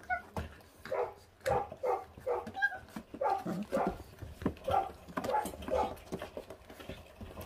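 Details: Feral puppies, five littermates 28 days old, on guard while stripping raw meat to the bone: a run of short, sharp puppy barks and yips repeated roughly every half second, with human voices murmuring in the background.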